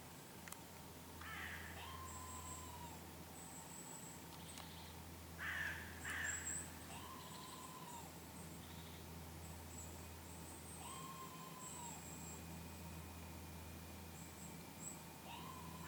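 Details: Red squirrel calling after a goshawk attack near Lake Kallavesi, Kuopio, Finland, 23 August 2015: several harsh, rasping bursts spaced seconds apart, with drawn-out tonal whistles between them over a steady low hum.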